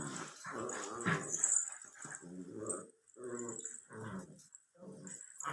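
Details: Labrador Retriever puppy aged 64 days, growling in a small room: a longer rough growl at first, then a series of short, throaty rumbling bursts with brief gaps.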